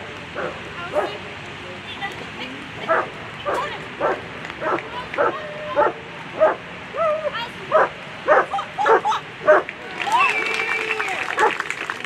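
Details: Dog barks at a World Championship agility final for German Shepherds: sharp, punchy barks repeat about every half second for ten seconds, then a wash of broadband noise like applause closes the clip, with faint voices underneath.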